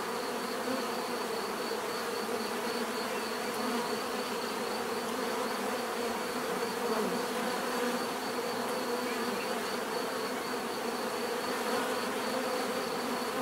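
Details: Many bees buzzing steadily as a dense swarm, a continuous droning hum with layered wingbeat tones that rise and fall slightly, plus a faint thin high whine held throughout; no other animals or voices stand out.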